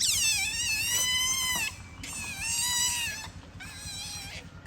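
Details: Playful otter in Lomphat, Cambodia, giving drawn-out high squealing whistles, slightly falling, in three long bursts over steady background noise.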